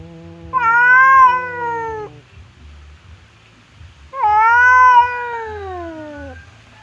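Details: Two pet cats, fierce Temon and quiet Lelo, kept apart by a divider while squaring up to fight; two drawn-out wavering yowls, each about two seconds, separated by a pause of near silence.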